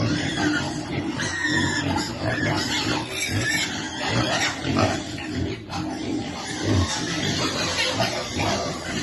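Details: Feeding time for a baby piglet waiting for food: steady, crowded squeals and grunts run throughout, harsh and broadband, with a brief dip in noise just past halfway.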